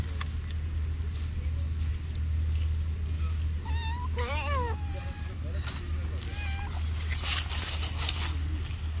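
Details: Friendly stray cats living on the street. A short run of wavering, harmonic meows rises and falls in the middle, then a couple of fainter meows follow, over a steady low rumble and handling noise.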